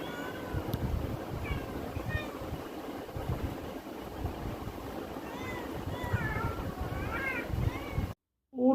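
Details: Pet cats that have just been fed, now looking outside, give several short wavering meows in two bursts over a loud low rumble, with a person talking nearby.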